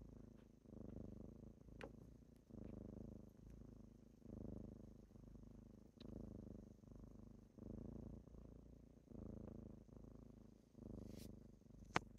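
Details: Kittens waking up their owner in the morning while purring, a rhythmic low rumble alternating between inhale and exhale roughly every second, with sporadic sharp clicks and a soft thump at the end.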